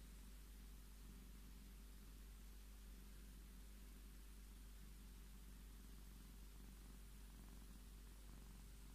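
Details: Steady, unbroken low purring from Scottish Fold cat Tommy asking for petting, a soft rhythmic rumble with faint hiss in the background.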